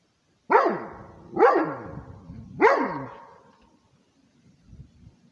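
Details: Rhodesian Ridgeback barking to guard its territory: three loud, harmonic barks spaced about a second apart, each with a sharp onset and fading tail, then near quiet.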